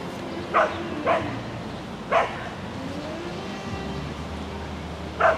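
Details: Shetland Sheepdog Lesya on an agility course, spring 2016, dated 22 May 2016: four short, sharp barks spaced irregularly, two close together near the start and one at the end, over a steady low engine-like hum.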